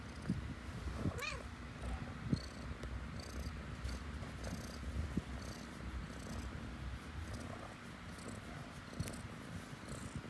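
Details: Cat purring continuously in a low, even rumble, with one brief wavering meow early on and a few faint clicks later.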